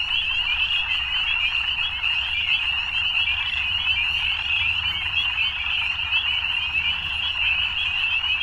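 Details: Frogs at evening fill the air with a continuous, high-pitched rattling trill, many callers overlapping so closely that the sound stays even and unbroken.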